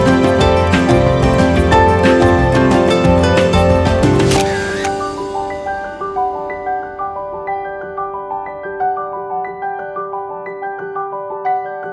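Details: Loud layered music with a full beat fades after four seconds into soft, evenly repeated bell-like melodic notes, with no animal voice heard.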